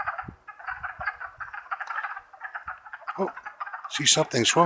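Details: April 2014 wood frog chorus in the Longkill Woods: a busy run of raspy, quacking clucks for several seconds, cut off at the end by a loud human voice.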